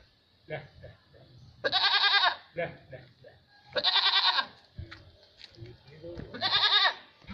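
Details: Female Barbari milking goats, two animals, kept on an Etawah farm in Uttar Pradesh, India. Three strong, wavering bleats about two seconds apart rise from a quiet background of soft shuffling and low murmurs.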